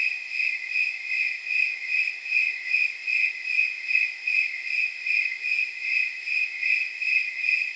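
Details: Snowy tree crickets chirping on a warm night of around 79 degrees: a steady, pure high trill pulsing in regular beats about two or three times a second, jingle-bell-like, with faint higher overtones and no other sounds.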